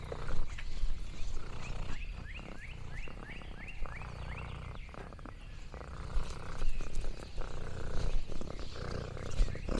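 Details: Lexi, an orange tabby cat, purrs contentedly on a countryside farm; a low rumbling purr runs in pulsing waves under a quick series of high, downward-sliding bird chirps, with rustling in the background.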